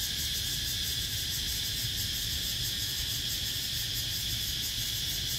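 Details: A cicada's steady, high-pitched buzzing drone fills the air without a break; recorded 17 April 2023.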